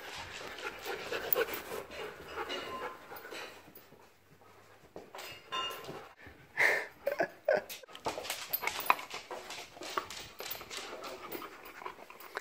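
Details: Siberian Husky and German Shepherd-Husky mix Ruger play fighting indoors: panting, scuffling, short whimpers and snorts, with a sharper yelp-like burst midway and a man urging Ruger on.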